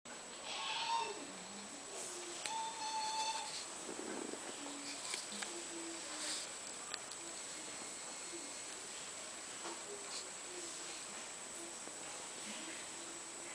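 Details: British Shorthair cat hunting flies indoors, giving strange short meows on seeing them: a few thin, high, harmonic mews near the start and a longer one after two seconds, with faint clicks and background hiss.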